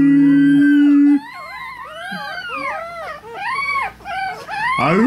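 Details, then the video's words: Chihuahua puppies, three weeks old, howling as their owners howl: after a short steady low human tone, a dense tangle of thin rising-and-falling whines overlaps and swells toward the end. "Baby Chihuahua's singing"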